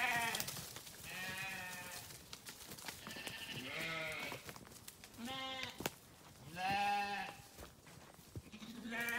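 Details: Several sheep calling in turn, harmonic bleats of different pitches overlapping, one loud wavering bleat near the end, with faint clatter in the background.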